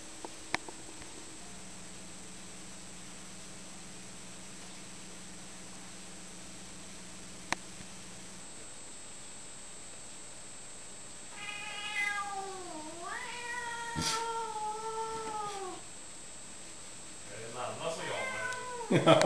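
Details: Male cat meeting a female cat: after a long quiet stretch, one cat gives a drawn-out, wavering meow lasting about four seconds that dips and then levels off. A shorter, rougher call follows near the end.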